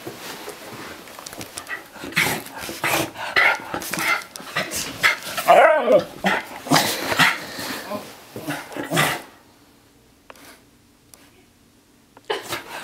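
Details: Miniature Schnauzer indoors after a bath, drying himself off in a frenzy; a rapid run of short harsh barks and scuffling for about nine seconds, then near silence with a few faint knocks and a final bark.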